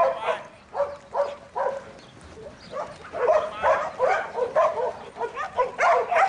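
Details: Buttons, a young male Border Collie in training and a futurity prospect for 2012, barks in a string of mid-pitched yaps with a short pause near the middle before the barking picks up again.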